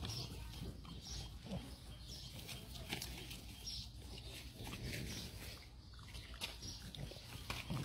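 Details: French Bulldog puppies eating grass in the morning; steady low snuffling and snorting grunts throughout, with short breathy sniffs and light rustling in between.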